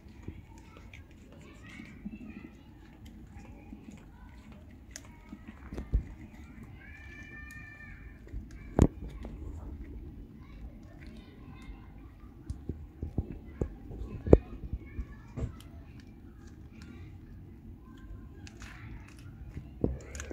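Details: Female stray tabby cat with a gorgeous coat, found near a trash can searching for food and being fed on the street; one drawn-out harmonic meow sounds midway, amid soft chewing and clicking noises in a quiet setting.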